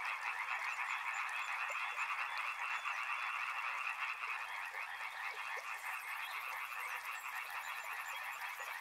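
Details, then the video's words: Frogs by a river in a dense chorus of overlapping croaks, a steady rattling wash of rapid, mid-pitched calls with no pauses; from about six seconds a faint, high, rapid ticking joins in above it. "Frog Sounds | Soothing sounds of river and frogs"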